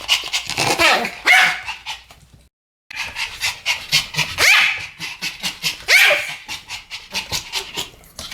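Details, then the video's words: Pair of Pomeranian dogs in a barking duet: sharp, shrill yaps with brief rising-then-falling whine-like tones, one abrupt silence early on, then continuous rapid barking. "ポメラニアン Pomeranian デュエット吠え 1000回 犬の鳴き声"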